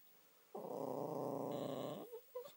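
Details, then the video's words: Josie, a pet Spitz, gives one steady, low, harmonic groaning moan lasting about a second and a half indoors. Her owners jokingly call the moan her song. A short faint whine follows. "шпиц Жози. "Этот стон у нас песней зовется""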